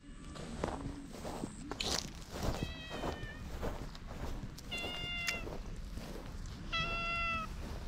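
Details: Stray cat with unusual markings, filmed outdoors at night on a GoPro, pleading in cat talk: three clear harmonic meows, each about half a second, the last one longest, over a steady low background rumble.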